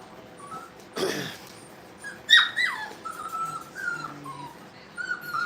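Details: Brittany puppies playing in a kennel: a scattered handful of short whining yips and a sharp squeal mid-clip, separated by quiet gaps, with a brief thump of movement early on.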